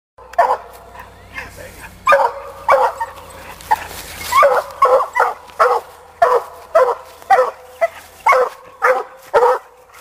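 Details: Sadie, a young female Black and Tan coonhound out hunting as she gets her raccoon, barks steadily in loud, ringing bursts, nearly two per second and unevenly spaced, with a faint low hum underneath.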